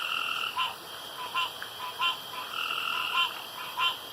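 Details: Night frog calls at a pond: spaced, clipped croaks with a hard, twangy tone, each sounding as a quick double note, arriving irregularly about every second or two over a soft hiss.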